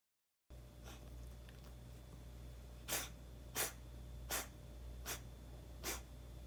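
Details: Hana, a cat sneezing often since coming back to this house, gives five sharp, explosive sneezes about a second apart over a steady low indoor hum.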